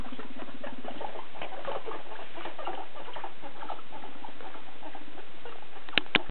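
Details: Two pet guinea pigs, small Paco and bigger brown-and-white Piggy: a low buzzy pulsed rumble for about a second, then busy patter and shuffling, ending with two sharp loud clicks.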